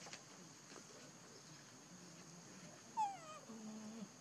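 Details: Baby monkey hugged by its mother Libby gives one sharp, falling whimpering cry near the end, followed by a softer drawn-out whine, over a steady background hiss.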